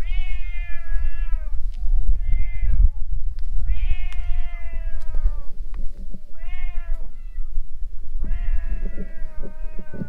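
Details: Stray cats squaring off beside a boat: repeated long harmonic yowls, some bending down at the ends, alternating with shorter rising cries, steady low-frequency rumble underneath.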